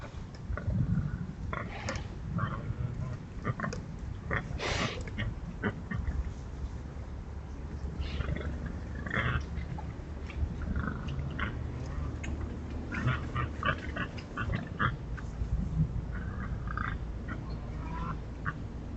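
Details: Wild boars scratching in the Forest of Dean give low, rumbling grunts and snorts amid scratchy rustling; wild boar (Sus scrofa) grunts.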